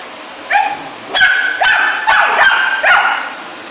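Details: A three-month-old Rough Collie puppy protests the vacuum cleaner with a quick series of five high, slightly whining barks over about three seconds, each with a rising-then-falling tonal edge.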